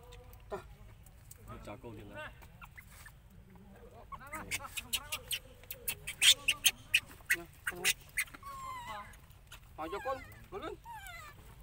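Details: Baby monkey crying loudly and angrily, begging its mother for milk after she refuses it: wavering, rising and falling harmonic squeals in bursts, with a run of sharp clicking or slapping sounds in the middle.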